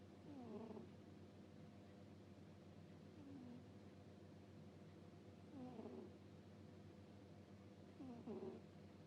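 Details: Sleeping cat snoring 'puu-puu': faint, wheezy, slightly falling squeaks with breaths at irregular spacing of two to three seconds, softer and rougher than usual, over a low hum.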